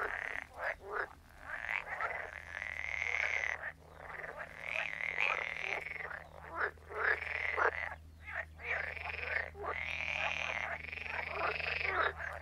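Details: Chorus of croaking frogs: long nasal, buzzy croaks lasting one to two seconds, repeated with short gaps, several callers overlapping throughout, over a constant low background hum.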